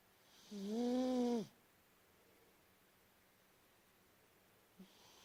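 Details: Domestic cat named Travis Bickle asleep and snoring loudly: one long harmonic, slightly rising then falling snore lasting about a second, followed by quiet breathing and a faint short snort near the end.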